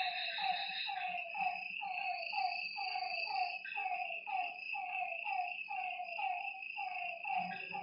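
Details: Frogs calling at night beside a lake: short, falling, slightly nasal croaks repeated about once a second in a loose, overlapping rhythm, set against a constant shrill high-pitched drone of night creatures.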